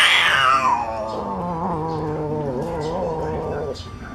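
A civet growls in a long, tonal, wavering moan that rises and dips for several seconds before breaking off. It makes this sound when it feels threatened, warning people nearby to keep away.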